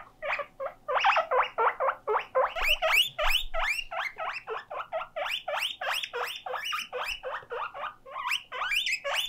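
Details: Lonely guinea pig left on its own, wheeking loudly: quick series of high rising squeals, about three and a half per second, some notes sliding steeply upward, with soft low thumps in the background.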